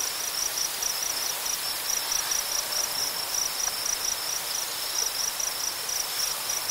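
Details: A steady cricket chorus in a tall-grass prairie: a continuous high, shrill pulsing trill from many insects over a broad hiss of strong wind through the grasses.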